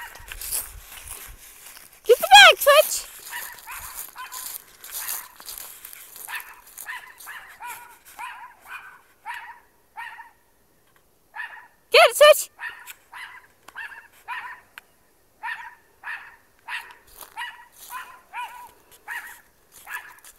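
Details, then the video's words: Pet dog barking at a trash bag it took for an intruder: one loud harsh bark near two seconds and another near twelve, with many faint short barks repeating quickly through the rest, plus a little speech early on. "Dog barking at trash bag"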